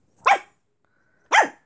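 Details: Brussels Griffon dog being cheeky to a cat, giving two short, sharp, harmonic barks about a second apart with silence between them.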